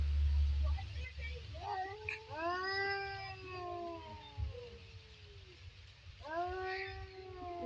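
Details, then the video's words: Two cats fighting: long, wavering yowls that rise and sag in pitch, one drawn out over several seconds and another starting near the end, over a steady low hum with a person talking nearby. "দুটি বিড়ালের লড়াই"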